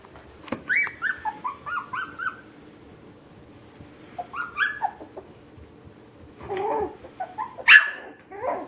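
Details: Puppies at play inside a home let out a quick run of high, bending whines, then a pause, another burst of falling whimpers, and finally a sharp yelp and squeal near the end, with low room hum beneath.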